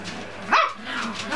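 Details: A Cocker Spaniel pup, with its littermates and mother in a bathroom, lets out a short, high-pitched whine that bends downward midway, amid softer breathy whimpers and faint room noise.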